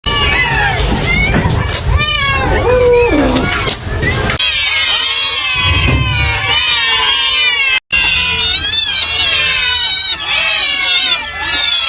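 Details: Kittens mewing together in a dense chorus of high, wavering, overlapping cries that run almost without pause, with a human voice speaking in the background.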